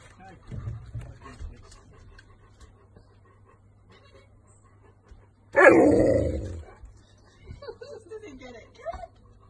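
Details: Pet dog in a home compilation giving one loud, harsh bark lasting about a second, partway through. Quiet speech comes before it, soft higher calls follow, and a low steady hum runs underneath.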